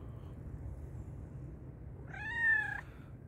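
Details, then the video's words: Black and white cat, described as very hungry, gives one loud drawn-out harmonic meow near the end after a quiet stretch of low background hum. "black and white cat was meowing loudly because it was very hungry."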